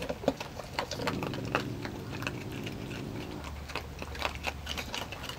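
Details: A family of raccoons feeding on cat food in a front yard: rapid crunching and wet chewing clicks in quick irregular bursts, over a steady low hum that fades partway through.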